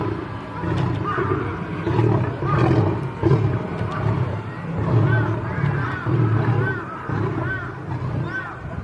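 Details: Two lions fighting, heard as deep rumbling growls and roars pulsing every second or so, with rough snarling bursts throughout and music playing in the background.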